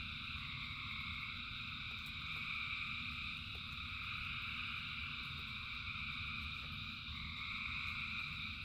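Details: Frogs singing in rain, a thick unbroken chorus of overlapping high trills with brief wavering notes standing out, and a constant low rumble beneath.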